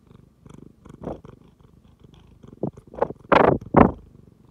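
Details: Tabby cat purring close up after sniffing a phone; soft rhythmic purr pulses at first, then louder, breathier bursts near the end as the rumbling swells and fades in short waves.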